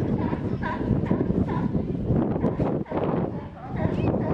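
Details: Sea lions hauled out at Pier 39 in San Francisco, a chorus of harsh, honking barks overlapping in quick succession, with crowd chatter and wind buffeting in the background.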